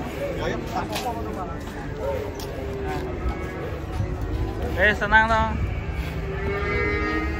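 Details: Cattle being unloaded from a truck, one of them angry; a harmonic, wavering moo rises and falls near the middle, amid steady background noise and scattered human voices.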